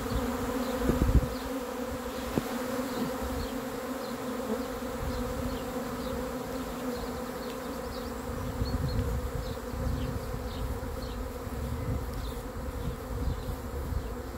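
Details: Honey bees in a swarm expected to arrive hum steadily beneath low rumbling noise, with occasional thumps and a scatter of faint high bird chirps.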